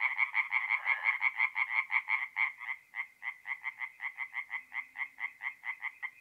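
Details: Night chorus of tree frogs at a forest pond in north-east Italy in April; two or more frogs trade fast nasal croaks, then one voice continues alone with evenly spaced pulses about three per second.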